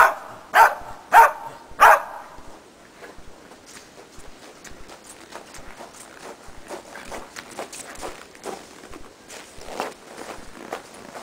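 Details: Preston, a Shetland Sheepdog, at agility practice on a training box with jump grid: three loud yapping barks open the moment, followed by soft footsteps and light rustling on the training ground.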